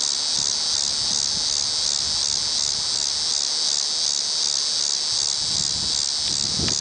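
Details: Tibicen walkeri cicada calling from a tree in Kansas City, Missouri, in early October 2008, producing an unbroken shrill buzzing whine with regular rhythmic pulses roughly every half second and light background rumble.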